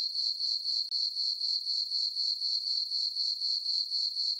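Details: Crickets on a summer night under a full moon in a farm meadow: a bright, rhythmic, ringing chirp at about four pulses a second, with one short break partway through and a quiet background otherwise.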